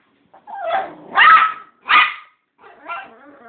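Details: Jealous female dog, upset that a puppy received a bone while she got none, vocalising in reply to being asked about hurt feelings. Three or four loud, strained, yowling whines with a quieter moaning tail, inside a home.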